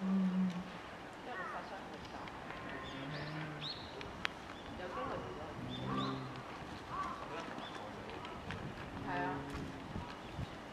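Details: Female polar bear cub, eleven months old, in a zoo in Sapporo, Hokkaido, Japan, begging her 17-year-old mother for milk on December 15, 2011; low nasal moaning cries repeated every few seconds, with voices murmuring in the background.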